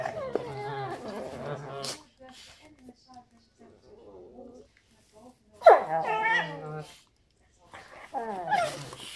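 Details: Two dogs, a Black and Tan and a Weimaraner, play-fighting all morning: bursts of harmonic growling and whining yelps, loud rising squeals near the middle and end, with softer grumbles between quiet gaps.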